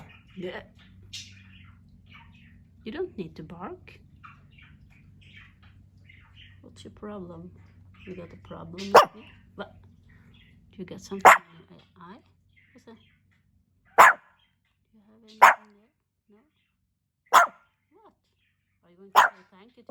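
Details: Speech and low hum fill the first half, then Hendo, a two-year-old pet Pomeranian, barks in single sharp yaps roughly every one to two seconds, six or so in all, with a quiet room in between.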